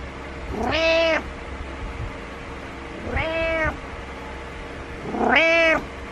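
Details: Butters, a pet cat, meowing persistently each morning to get his owner out of bed, as he dislikes being alone; three drawn-out harmonic meows spaced about two seconds apart over a low steady hum.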